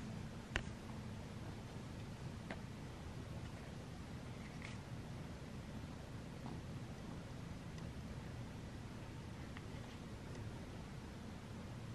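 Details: Near-silent indoor room tone with a few faint clicks and rustles; no animal voice.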